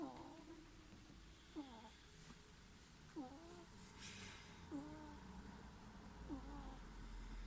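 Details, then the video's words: Snoring ferret: squeaky, whistled snores with a quick falling then levelling pitch, repeated about every one and a half seconds, five in a row over a faint steady background hiss. "いびきをかくフェレット Snoring ferret"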